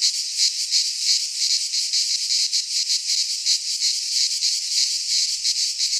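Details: In a Greek pine forest in midsummer, cicadas fill the air with an unbroken, high, grating drone of rapid pulses, steady in loudness throughout.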